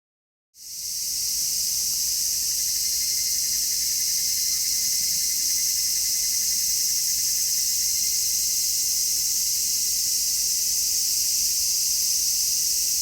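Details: Cicadas in midsummer, filmed in real footage and recorded in stereo with an MKH-416 microphone; a dense, unbroken high shrill chorus begins abruptly after half a second and holds steady, with a faint thin tone running beneath.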